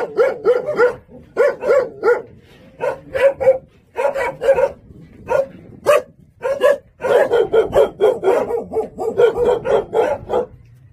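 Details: Jindo hunting dog at a Jindo kennel, urged by its keeper to 'say uncle', gives bursts of clipped, ringing yelp-barks in uneven groups, ending in a long rapid volley of closely packed barks.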